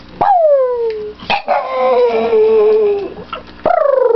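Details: Happy homecoming howl from Victoria, a dog greeting her returning owners; one sharp cry sliding downward, then a sustained wavering howl lasting nearly two seconds, and a fresh rising howl at the end.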